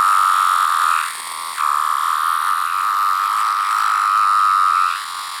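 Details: Larger 17-year cicada variant, yellow-brown striped under the abdomen, heard close: an unbroken droning whine at one steady pitch, dipping briefly in loudness near one second, then holding strong before easing slightly at the end.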